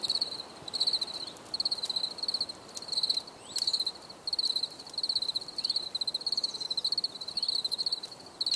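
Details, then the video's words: Crickets chirping in a nature recording made for relaxation: high, bright pulsed chirps in short bursts about twice a second, with faint clicks and brief downward sweeps behind them. "Bruit de Grillons"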